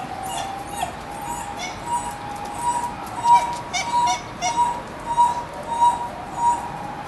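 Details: Captive dhole pair, male Ein and female Stein, at Tennoji Zoo in December 2012, pacing and whining as if reacting to a siren; a string of brief, high whimpering notes about every half second over a steady siren tone.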